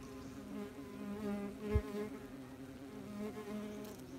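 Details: Wasps busy at a nest, heard from as close as possible: continuous layered humming drone of many wings, a brief thump midway.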